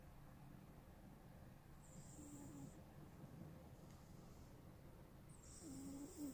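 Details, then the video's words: Smokey, a cat who snores when he sleeps: two softer snore breaths a few seconds apart, each a thin hiss with a faint low whistling tone, the second slightly louder, over steady background hum. "Snoring Cat"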